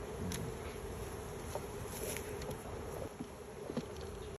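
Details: Bees being checked, giving a steady low droning hum that runs through the whole stretch, with scattered clicks and handling knocks over a rough background.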